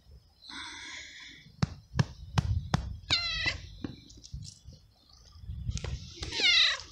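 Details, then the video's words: Feral little stray cat abandoned in a garden, fed treats and cuddled daily, screaming meows: a drawn-out wavering cry, then rising and falling harmonic calls amid sharp clicks and handling noises, ending in a loud strained wail. "Cute Moments With Meowing Cat"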